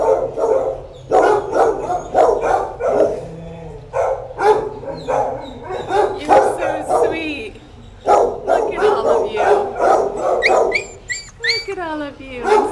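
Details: Margot, a mother dog with her eight pups: a steady run of sharp, clipped barks fills the recording, closing with high, sliding whines and yelps that rise and fall.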